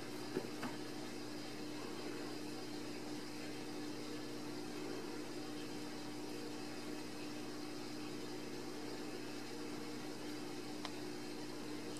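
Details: Quiet indoor hum with steady low tonal bands and faint broadband hiss, a couple of soft clicks, no animal voice heard.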